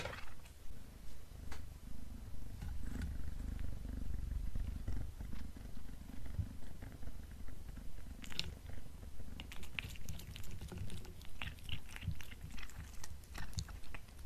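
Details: Black pet cat indoors during a beef-snack meal, giving a steady low rumbling purr that pulses evenly throughout. From about eight seconds on, sharp crunchy chewing clicks join in above the purr.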